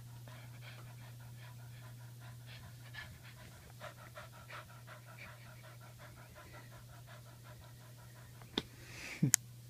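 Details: Dusty, a 17-year-old female dog who still acts like a puppy, pants in quick, soft, steady breaths indoors, with a steady low hum underneath and a couple of sharp knocks near the end.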